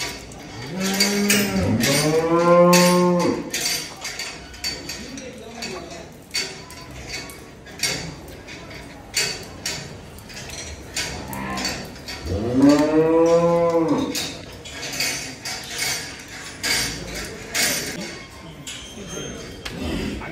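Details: Big cattle kept at Dhaka Agro, Bangladesh, ahead of Qurbani Eid 2024. Two loud, deep moos come about ten seconds apart, each swelling and fading, with rhythmic clicking, metal clatter and distant voices between them.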